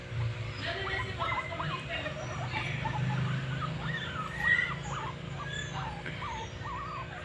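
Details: Early-morning guinea pigs make quieter, wavering squeaks and short whines, rising and falling in pitch, scattered irregularly over a loud low rumbling background.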